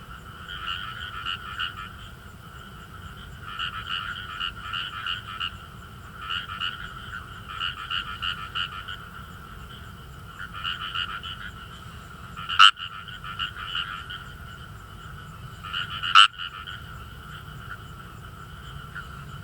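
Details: In northern Saitama rice paddies, Kawamura's rice frogs croak with quick, finely pulsed 'gue-gue' notes in bursts separated by short pauses; two sharp loud clicks punctuate the steady chorus.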